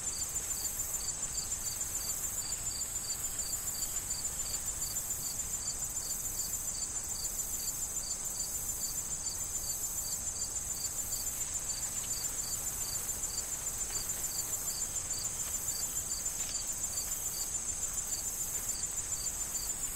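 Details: Crickets in a corn field in autumn before harvest: short bright chirps repeated about three to four times a second over a steady, shrill continuous trill, with soft wind and rustling corn stalks underneath.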